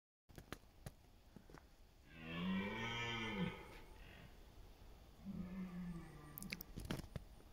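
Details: A red deer stag in autumn rut in the forests of East Serbia on 28 September gives a deep, harmonic roar rising and falling for over a second, then a shorter, quieter bellow, with sharp clicks and knocks around.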